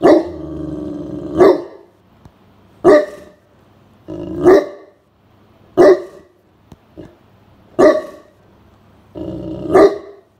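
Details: Blanche, a large Great Pyrenees, stays on watch while napping indoors on a hot summer afternoon as a stranger approaches. A short growl opens, followed by six booming barks spaced roughly one and a half seconds apart.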